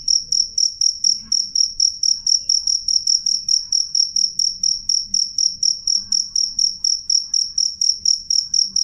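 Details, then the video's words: Cricket chirping clearly and loudly, high metallic pulses falling evenly around twice each second for the whole stretch, with a quiet low hum in the background. "suara jangkrik jernih keras"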